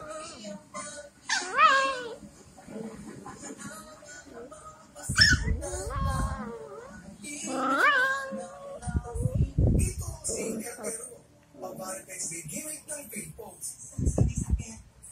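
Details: A 9-month-old Miniature Pinscher gives high, wavering yips and short barks while welcoming a 7-week-old Mini Pinscher x Shih Tzu puppy, with faint background music and thumping handling noise.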